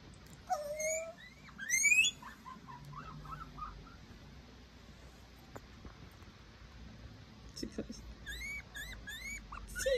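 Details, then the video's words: Scared baby guinea pig Tio crying at home: loud upswept squealing whistles early on, a woman asking if it wants a dummy, then a fresh string of quick rising whistles near the end. "Baby Guinea pig crying sooo cute!!!"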